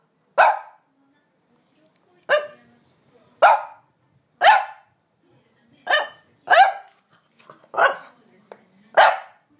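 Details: Eager to be taken on a walk, French Bulldog Amelie barks insistently at her dawdling owner; eight abrupt barks at uneven intervals, some closely paired, with faint whimpers between.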